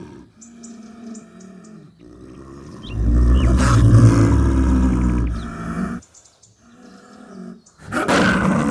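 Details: Snow leopard recorded in the wild in high mountains: a deep, rough growl swells around the middle, low and broad, with a hoarse burst near the end and faint ticking sounds in the background.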